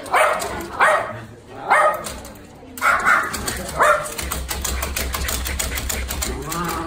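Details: Dogs playing nosework games at a dog café in Daegu on October 6; five short, sharp barks come in the first four seconds, then give way to steady rustling and clattering noise.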